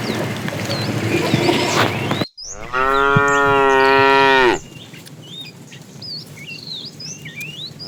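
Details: A fat tame cow calls to the female during afternoon herding. A loud, even moo lasts about two seconds, steady and strongly tonal, then drops away. Bird whistles and chirps follow and there is a low background rumble.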